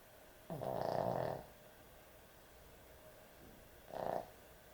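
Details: Dog snoring excessively while asleep: a long harsh rattling snore, then a shorter, softer one about three seconds later, with silence between.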